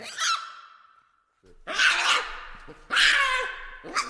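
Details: A baboon's drawn-out cry sinks and fades, then two loud grating screams follow, with a short rough burst at the very end.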